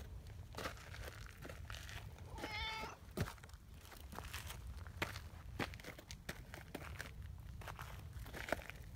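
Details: Gentle female brown tabby cat, calm and seeking affection, lets out one brief mid-pitched meow amid scattered clicks, taps and rustling from handling nearby.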